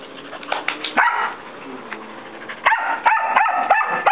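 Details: A year-old white mixed-breed dog, indoors with a nine-year-old long-haired Chihuahua, barks to get the ignoring little dog to socialize. After a quieter stretch of murmuring, a burst of four or five sharp, loud barks comes in quick succession.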